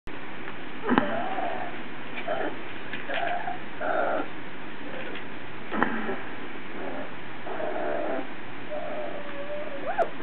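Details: Malamute x Border Collie puppies, 24 days old, giving short squeaky whines and yelps, some flat and some sliding upward, scattered every second or two, ending with a rising whine, over low background rumble.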